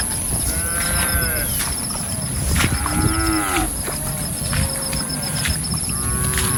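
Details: A herd of cattle roaming and grazing in a rice field gives low, drawn-out moos with rising and falling tones, several overlapping, over a steady background hiss and a high electrical whine.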